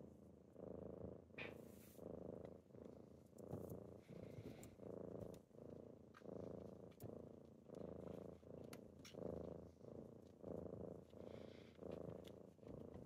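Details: Kittens purring on a typical morning as they wake their owner: a steady low rumbling purr that swells and dips about once a second with each breath, with a few faint clicks and rustles over thirteen seconds.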